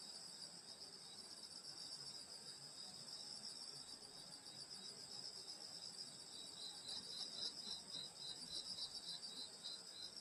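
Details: Summer night chorus of insects in the countryside at a grandmother's home: dense continuous high-pitched ringing trills, some finely pulsed, with no other clear sounds.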